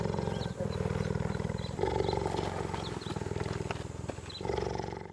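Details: Continuous deep cheetah purr, a fast throbbing rumble of even pulses, growing louder in three surges and never pausing.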